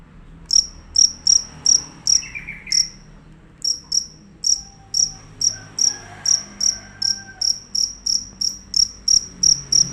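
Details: Cricket, described as fierce with a loud unbroken voice, giving short high shrill chirps repeated about three times a second, with a pause near the fourth second before resuming steadily; faint low room hum behind.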